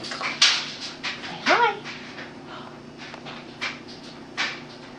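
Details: Boston Terrier dog singing indoors while performing tricks for a treat: one short, rising, whiny howl in the middle, surrounded by sharp clicks and light handling noises in a small room.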